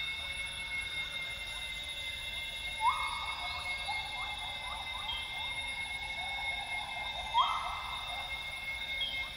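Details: Northern grey gibbons (Hylobates funereus) sing at dawn in lowland rainforest of Tawau Hills Park, Sabah, Borneo: rising, hooting notes bubbling into quick trills, like the female great call, over a steady insect drone.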